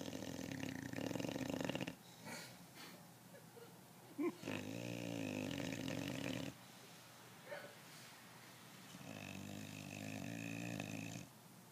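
An English Bulldog snores in long, rasping, rumbling breaths separated by brief quiet pauses.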